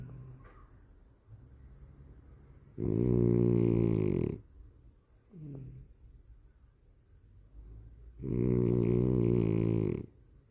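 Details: Cola the dog snoring: two long, rasping, buzzy snores of about one and a half seconds each, separated by quiet breathing and a faint brief squeak.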